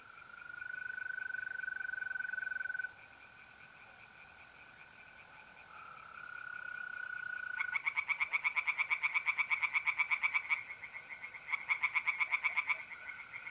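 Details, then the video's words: Tree frogs singing by night in a pond in north-east Italy in mid-April. A steady high trill of mole crickets opens the recording, then loud rapid bursts of harsh pulses break in twice, each lasting a few seconds. "relaxing singing tree frogs in pond and trilling mole crickets by night"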